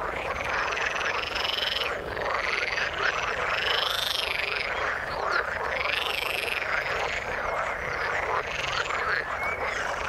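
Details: In water, a crowd of frogs keeps up a thick, unbroken croaking chorus, punctuated by arching higher notes every couple of seconds and a few sharp upper squeaks; nothing else audible.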